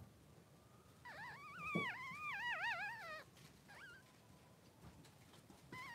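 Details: Newborn Cavalier King Charles Spaniel, a Blenheim baby boy three days old, in the pen with Pom-Pom and a littermate. A long undulating, yodel-like cry of about two seconds, followed by a short upward squeak and the start of another whimper.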